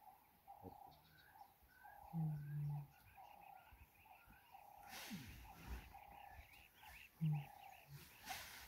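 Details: Lioness calling her cubs: two short, low, hum-like calls, the first about half a second long and the second briefer near the end, over steady background bird chirping and a brief burst of noise.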